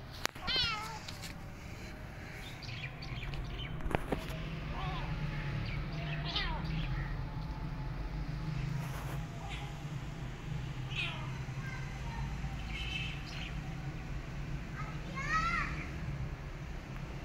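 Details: Abandoned, starving kitten limping in the street; about six short, high, wavering meows spread across the stretch, some with bending pitch, over a steady low rumble of outdoor background noise with a few sharp knocks.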